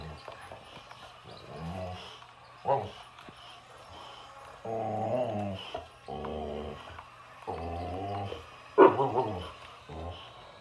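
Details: Boxer dog facing an excavator, giving drawn-out harmonic grumbling barks and howl-like moans in several bursts of about a second each, with a low mechanical hum underneath throughout.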